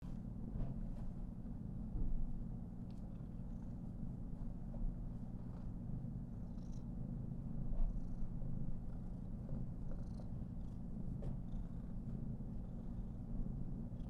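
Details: Female Somali cat, 419 days old, purring steadily while being petted and fluffed at length; a continuous low rumble throughout with a few soft clicks and rustles above it.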